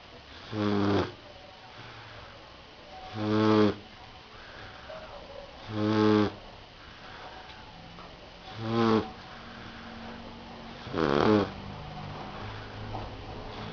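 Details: A Rottweiler pup asleep and snoring: five regular, rattling breaths about every two and a half seconds, each rough and throaty, over faint background hum.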